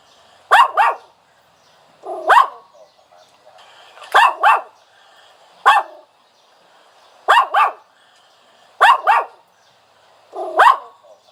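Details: Dog whining in short high yelps, mostly in pairs, each pair repeated about every one and a half seconds over a quiet background.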